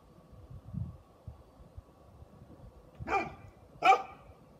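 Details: A Great Pyrenees, with Great Pyrenees puppies nearby, gives two sharp, full-bodied barks near the end, spaced under a second apart. Before them, only soft low thumps and a low background rumble are heard.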